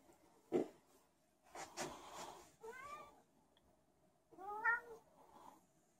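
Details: Indoor special needs cat roaming and meowing for no reason, giving two clear bending meows a second or so apart after a sharp knock and some shuffling noises in a quiet room.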